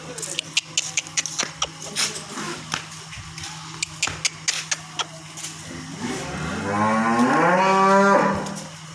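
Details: A Holstein Friesian cow at a dairy farm in Karnal, Haryana, India, gives a long, rising, harmonic-rich moo after several sharp clanks and knocks.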